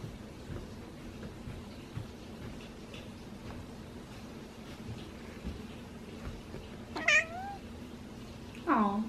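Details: Tabby cat, female, sunbathing; two short meows late on, the first rising then falling, the second sliding downward, over a quiet steady hum, followed by a woman's voice.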